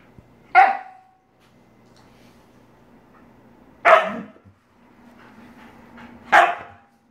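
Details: Siberian Husky Jenna reacting to a hand spider toy: three sharp, loud barks spaced about three seconds apart, each a short harmonic burst, with quiet indoor background between them.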